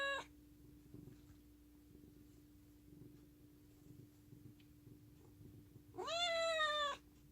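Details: Affectionate pet cat: the tail of one meow at the start, a quiet stretch with faint rustles, then a loud, slightly rising meow near the end over a constant low hum.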